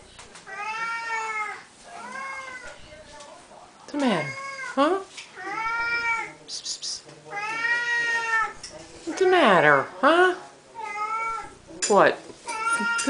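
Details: Siamese cats calling at feeding time in a small room, during a daily feeding ritual; a run of drawn-out, wavering meows, some rising then falling, with a person talking to the cats between calls.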